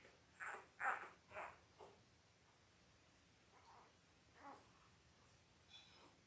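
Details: Five-day-old Labrador Retriever puppies, a litter of eight born October 15, 2023 to their mother Belle, indoors. Three sharp, high squeaks come close together in the first second and a half, followed by a few fainter, scattered whimpers over quiet background.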